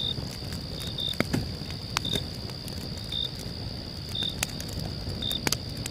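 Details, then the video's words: Cricket chirping at night beside a crackling campfire: short, clear, high pure chirps about once per second over a steady high whine, with sharp fire pops and a low, rustling rumble underneath. "calm night camp with cricket sounds"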